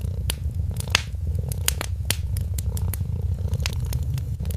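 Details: Kitten asleep near a crackling holiday fireplace, giving a deep, even purr under loud, irregular pops and snaps of burning wood.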